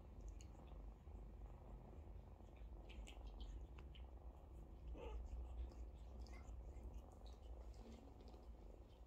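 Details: Mother cat tending a queue of kittens, washing and feeding them; an even, deep purr pulses throughout, overlaid by faint licking and shuffling noises.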